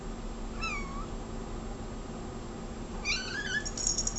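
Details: A cat meows twice indoors: a sliding, downward-curving meow, then after a pause a longer wavering one that rises and falls, ending among faint high squeaks over a low hum.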